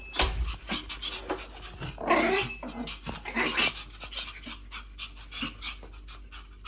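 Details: A pair of female Pomeranians greet their owner returning home, panting in quick rhythmic bursts with small whimpering sounds, rustling and footsteps-like thumps throughout.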